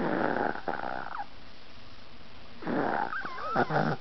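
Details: Ahji, a fat Chihuahua drifting off to sleep, gives harsh, buzzing snore breaths at the start and near the end. Short squeaky, whiny sleepy noises rise and fall over the second breath.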